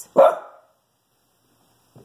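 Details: A Shih Tzu indoors barks at a squirrel outside, a single sharp, mid-pitched bark, followed by quiet.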